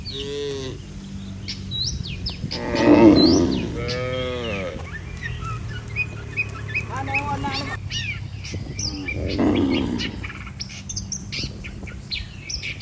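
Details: Herd of healthy cattle walking together back to their barn with a herder: several low, harmonic-rich moos, some rising and falling in pitch, spaced a few seconds apart, over steady busy chirping of many small birds.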